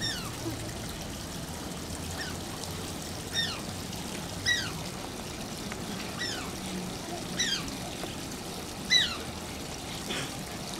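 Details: Asian small-clawed otter Shishimaru at Oji Zoo whining cutely: short high squeaks that slide downward with bright overtones, about seven over eleven seconds at uneven gaps, over a steady rush of running water.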